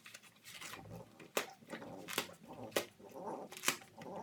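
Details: French Bulldog puppy chewing and destroying a cardboard box indoors with mouth and teeth, sped up in time lapse; snuffly grunts and snorts mixed with sharp cardboard tearing cracks about every second.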